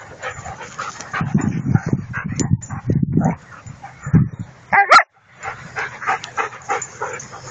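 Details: Play between Salmoxis Kennel dogs on a field, 03.01.2014: Angel and Adel ot Salmoxis, six months old, and their mother Selma vom Baphomet. Bursts of deep growling give way to a piercing yelp, then a run of quick higher yips.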